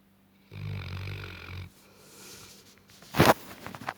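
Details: One long, throaty snore from nine-month-old Tibetan Mastiff Gassan as he sleeps, followed by quieter breathing and a sharp knock near the end.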